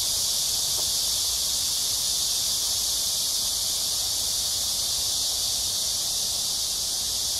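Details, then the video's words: Cicadas calling in Amsa Ecological Park by the Han River in Seoul, South Korea, on a hot July 2021 evening between 6 and 7 PM: an intense, even, shrill buzzing hiss that holds steady throughout. "Cicada sounds/매미소리 가득한 암사생태공원 해질녁 산책"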